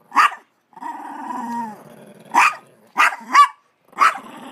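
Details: Female pet dog inside a laundry basket guarding her dog treat from her sister dog: a long low tonal growl between sharp bark-like snaps, with short gaps of silence.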